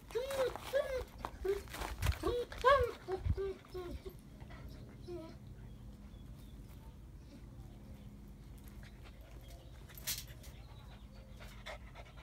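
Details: A 2-month-old Rottweiler puppy gives a burst of high, arching whines and yelps, then falls mostly quiet.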